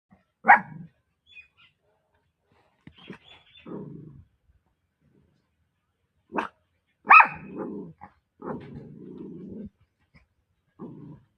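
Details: A female Pomeranian puppy barks in sharp, high yaps between longer, rougher growling stretches.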